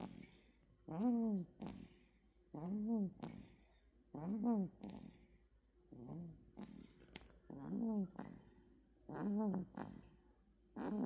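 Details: A male American Shorthair cat named Bami snores in his sleep at home, each breath a voiced, rising-then-falling nasal drone with a short rasp after it, repeating steadily roughly every one and a half to two seconds.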